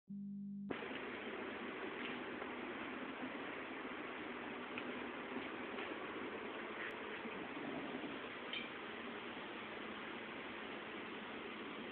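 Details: Steady broadband hiss fills the whole recording, with no bark or other animal voice standing out.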